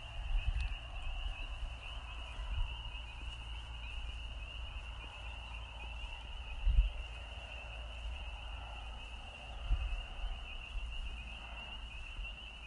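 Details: Spring peepers chorus in late March, a steady, high, shrill ringing over a low background rumble.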